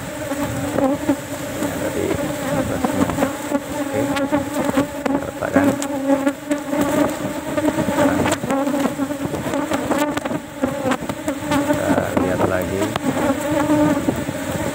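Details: Many farmed Asian honey bees (Apis cerana) swarm around a hive box as honey is harvested from a single frame, outside flowering season, the bees aggressive and attacking; steady dense droning hum with shifting pitch, overlaid by sharp taps and knocks.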